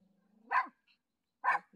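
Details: Pet dog on a familiar walking path barking as it meets its dad, back after a week in hospital; two sharp broadband barks about a second apart over a faint low hum.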